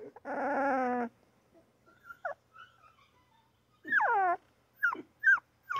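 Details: Newborn pup's cries: a drawn-out harmonic wail, a pause with faint squeaks, then a falling whine and a few sharp high yips.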